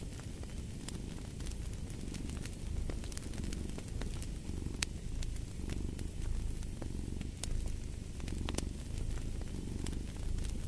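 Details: Low, continuous cat purr pulsing in gentle waves every second or two, with frequent snapping crackles of a fireplace scattered over the top.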